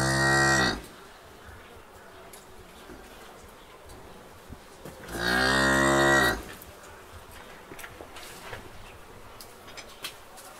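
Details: Cow giving two drawn-out, deep harmonic moos, a short one at the start and a longer one about five seconds later, with quiet background rustle between them.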